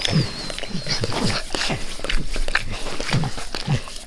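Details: Close, wet licking from a dog lapping at its owner's face, quick rhythmic slurps and smacks about three to four per second, with snuffling breaths between them.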